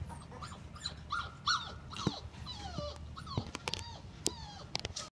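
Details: Labrador Retriever whimpering in short, drawn-out high notes that dip downward, repeated roughly every half second, with faint knocks and shuffling behind.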